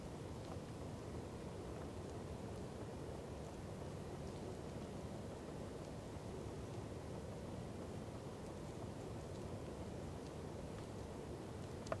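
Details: Steady low rumble of wind and distant engine noise, with no animal calls. A dull, continuous roar fills the low range throughout, with only faint scattered ticks above it.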